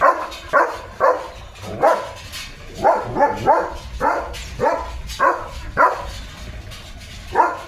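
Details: Leo the German Shepherd chasing about with his owner in open village fields on a rainy day; a run of about a dozen gruff barks, some coming in quick pairs, at an uneven pace.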